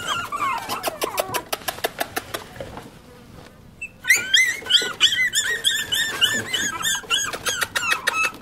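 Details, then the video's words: Several Pomeranian puppies giving quick high squeaks and whimpers, a dense string of short clicks and yelps, a near-quiet pause at the midpoint, then a louder burst of bending, rising-falling whines in rapid succession. "Pomeranian Puppies"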